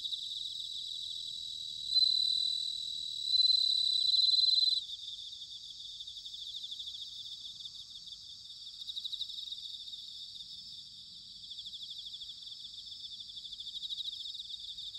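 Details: Autumn bell cricket song from Sanuki, Chiba, Japan. Two loud ringing trills early on rise above a constant high insect chorus, which then continues with faint, evenly pulsing chirps.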